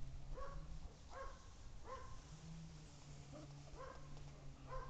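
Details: Siberian Husky puppies playing with their mother: a run of short, high, arched whimpers with clear overtones, coming about once a second, some doubled, over steady low rumbling background noise.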